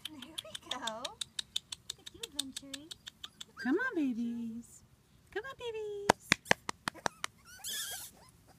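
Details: Wheaten terrier puppies out exploring and on the run give high, wavering whines that rise and fall, several short and one longer drawn-out cry, over a string of sharp clicking taps.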